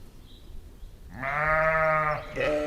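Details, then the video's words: Sheep, ewe and lamb in a meadow: after a second of near quiet, one long, steady, harmonic bleat lasting about a second, followed by a shorter second bleat. "Efeito sonoro de ovelha e cordeiro em uma campina"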